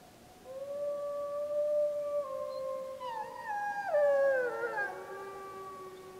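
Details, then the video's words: Gray wolf pup of the Snake River pack howling in Summit Ridge, Wallowa County, July 25, 2012, during a pup survey: a long steady tonal howl with overtones, then several overlapping wavering howls from more wolves that break and slide downward. "Snake River Wolf Pack Howling"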